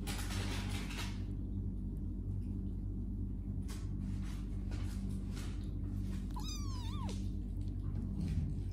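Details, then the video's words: Kitten among a group playing and sleeping gives one short meow that rises then slides down, late in the stretch, over a steady low indoor hum with soft rustles and knocks. "Kittens Meowing Playing and Sleeping"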